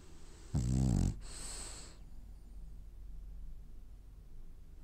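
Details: A French bulldog snoring while dreaming: one harsh, low rumbling inhaled snore lasting about half a second, followed by a softer airy exhale, then quiet breathing.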